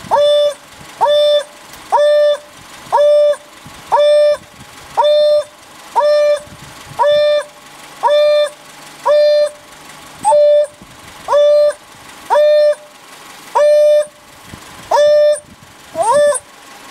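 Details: African wild dog calling, a steady series of clear, hollow hoots, each about half a second long and repeated roughly once a second, evenly spaced through the recording with a faint engine hum underneath.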